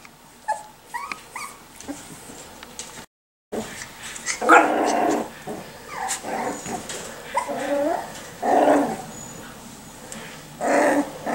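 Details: Miniature Schnauzer puppies from the Custards & Puddings litters, 4 and 6 weeks old, indoors: thin high yips and whining squeals, several upswept whimpers in quick bursts, a brief gap early, then louder overlapping cries near the end.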